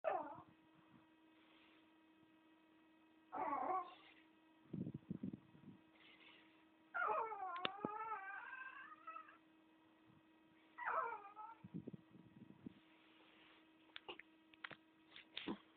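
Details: Chihuahua howling in short bouts, with wavering, rising and falling tonal notes and harmonics, separated by quiet gaps; a steady low hum runs underneath and a few clicks are heard.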